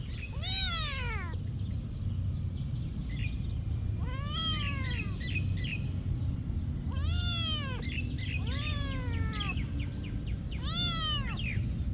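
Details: Cats at a monastery meowing repeatedly, drawn-out arching meows with rich harmonics, several overlapping at times, about every three seconds over a steady low rumble of background noise.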